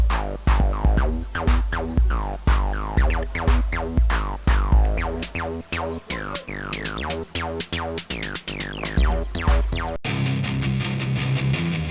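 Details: Electronic music with a steady drum-machine beat and sliding synth tones fills the whole stretch, with no animal voice.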